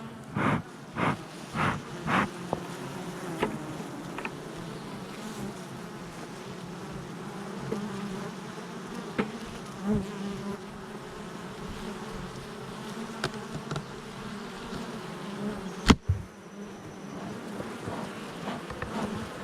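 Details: Honey bees at the hive entrance on July 22nd, 2024, a steady low humming drone underlying the whole recording, with several sharp knocks and taps early on and a single loud click later.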